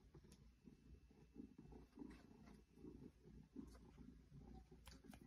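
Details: Steady low purring from an 8-year-old female Maine Coon indoors, rubbing against fake plants in a bedroom; soft rhythmic rumble swelling and easing roughly every 0.7 seconds with each breath, faint rustling on top.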